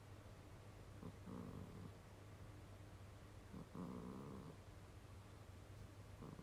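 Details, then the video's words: Cat snoring in its sleep with a humanlike snore. Two soft, rasping snores about two and a half seconds apart, with a fainter third at the end, over a constant low background hum. "人間並みのいびきをかく猫 Kurobe the funny cat.Snoring."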